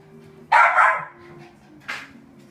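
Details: Newborn red male poodle puppy, born 3 July 2014: two short bright yelps, the first longer and louder, the second brief after a pause, over a steady low hum.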